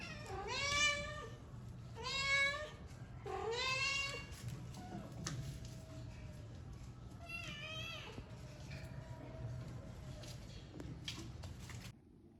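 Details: Playing kitten, Persian or Indian, calling in a run of four loud, rising-and-falling meows about every one and a half seconds, then a fainter meow near eight seconds over a steady indoor hum.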